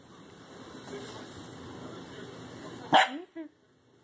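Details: Six-month-old Corgi puppy Oberyn, fearful of descending stairs, lets out a single sharp bark and a shorter yip at the end after a quiet stretch of room noise.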